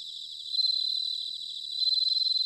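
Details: Bell cricket singing in autumn, recorded in Sanuki, Chiba, Japan on a ZOOM H6 or TASCAM DR-05X; a steady high ringing trill with fine rapid pulses, swelling louder partway through, background chorus of other insects.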